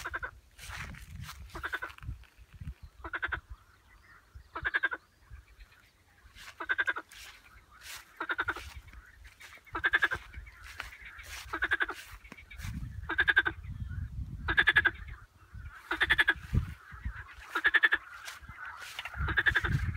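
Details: Frog repeating a short, pulsed, rattling croak about every one and a half seconds, steady throughout, over a low rumbling background.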